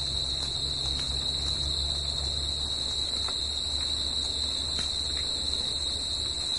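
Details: Crickets singing at night in nature, a steady high-pitched trill droning without pause, with a fainter, higher second band above it, a soft background hiss and a low rumble underneath.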